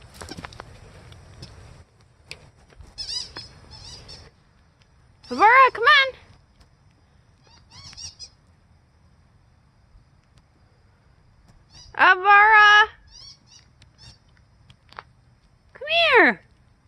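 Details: Snowstorm playtime with Siberian Husky Aurora, eager for someone to join her outside; three separate loud vocal bursts several seconds apart, each a wavering, downward-sliding whine-howl, with quiet snowy background between.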